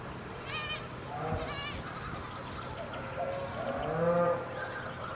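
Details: Stray goats on the hillside above Sasa give two wavering, tremulous bleats about a second apart. Quieter calls and faint high chirps follow over steady outdoor background noise.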